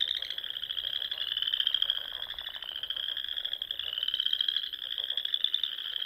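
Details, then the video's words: Many frogs calling in spring at dusk from a pond in the Nebraska Sandhills, their fast pulsed trills blending into one continuous high, grating drone that gently swells and fades. "RELAXING SOUNDS OF FROGS"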